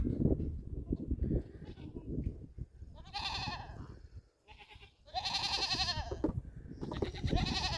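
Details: Young goats in Canada playing and jumping on a llama's back give short, nasal, quavering bleats. Two louder bleats stand out midway and a third comes near the end, over low rumbling handling noise.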